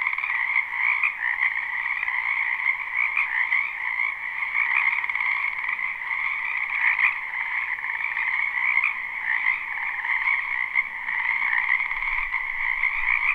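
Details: Unbroken spring chorus of many frogs in a wetland, recorded live without looping: thick layered croaking holds two steady pitch bands, with small bursts of louder calls now and then and a faint low rumble near the end.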